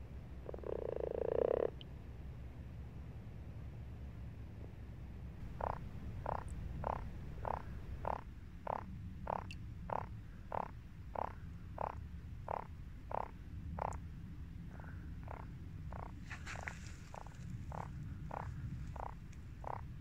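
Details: Frogs croaking in a garden pond in March: short, rough croaks repeated steadily about twice a second, centred in the low-mid range, after a brief louder thump at the start, over a constant low rumble of background noise.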